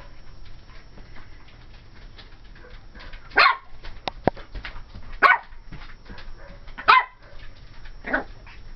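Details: Ivory, a 12-week-old cream and white female Pomeranian puppy, barks at a Dora the Explorer doll in a closet: four sharp, high yaps spaced about one and a half seconds apart over a quiet indoor background.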